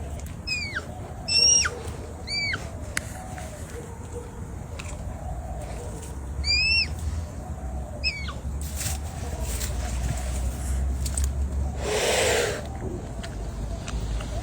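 A red panda gives short, high squeaky calls that sweep sharply downward, repeated in small bursts.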